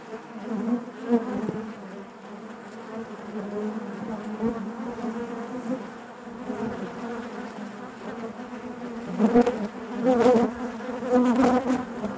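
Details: Honey bees buzzing inside their hive: a dense, steady drone with a low hum and overtones, swelling louder toward the end as individual bees pass close with sharper buzzes.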